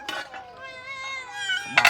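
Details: Cats waiting for food give a drawn-out, slightly wavering meow with many harmonics, lasting over a second, framed by sharp clinks at start and end and a voice nearby.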